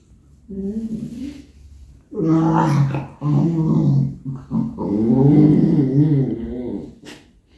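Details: English Cocker Spaniel named Robby, a talkative pet at home during homeworking, impatiently trying to attract attention: drawn-out grumbling, groaning moans with harmonic whine-like rises in several long bursts, the last fading out.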